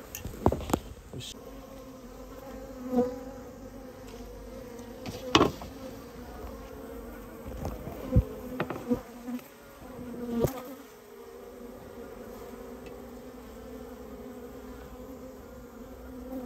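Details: Japanese honey bees from a colony nested in a storehouse, buzzing during removal work: a constant low drone broken by repeated loud knocks and bangs.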